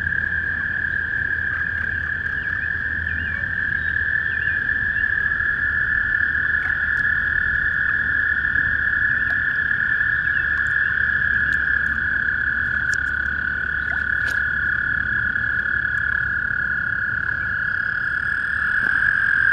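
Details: Spring chorus of toads in a small pond out back, a continuous, even, high trilling drone from many overlapping callers held throughout, over faint low-frequency background hum and a few brief clicks.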